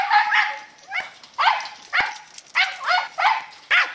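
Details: Katie, a female Scottish Terrier aged 10, barking while chasing squirrels in the yard in November 2008: a rapid run of high, sharp barks, about two per second, with brief gaps between them.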